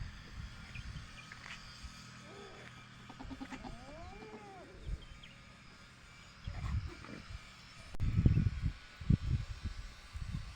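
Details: A goat kid on a goat farm gives a wavering, rising-and-falling, kitten-like bleat amid low thumps and rumbling noise; goat kid.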